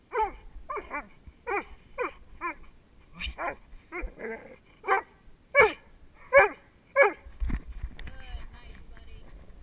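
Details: Male Doberman named Spock during protection training with a helper, recorded on a head-mounted GoPro Hero2: a series of sharp barks, some in quick pairs, growing louder toward the end, with faint voices in the background.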